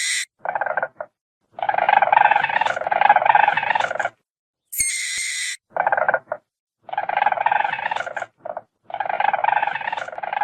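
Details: Weasel: squeaks, squeals and hisses. Bouts of harsh, fast-pulsed rattling chatter are separated by short pauses, with one sharp, high squealing burst in the middle.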